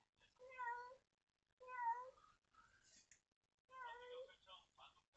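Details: A stray street cat gives long, drawn-out meows, crying daily while searching for her kittens, lost 4–5 days earlier on a day of pouring rain.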